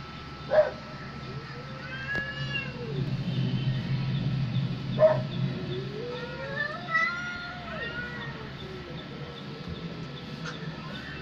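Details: Cats fighting while a house cat reacts: drawn-out wavering meows that rise and fall in pitch, with two sharp knocks and a steady electrical hum beneath.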